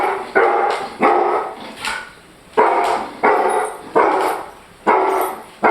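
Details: German Shorthaired Pointer giving forceful, booming barks at a steady pace of about one per second, each with a ringing echo that fades before the next, over a constant high-pitched hiss.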